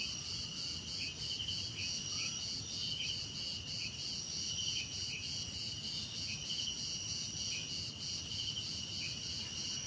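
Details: Dense cricket chorus: shrill unbroken trills over a rapid pulsing beat, with brief chirps popping in irregularly and a soft background hiss of other insects.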